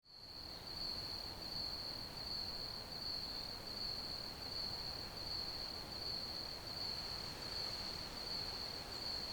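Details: Crickets chirping as a steady high-pitched trill with regular pulses about 80 times a minute, over a constant broad hiss of ambient noise.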